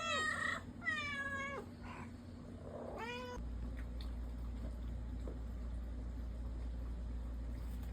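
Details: Several pet cats, including a black cat and a tuxedo cat, meowing indoors: three drawn-out, rising then falling meows in the first three seconds over a steady low hum, then only the hum.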